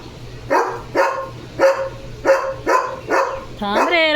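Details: Leo the German Shepherd barks six times, roughly every half second, each bark short and punchy; at the very end a high, wavering human voice cuts in.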